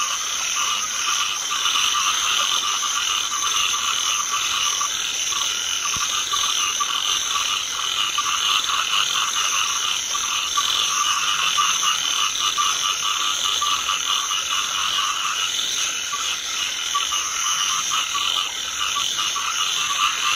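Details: Natural calling of many rice field frogs across rain-soaked fields during drizzle. The dense, steady rattling chorus never pauses, and high insect trills blend in continuously.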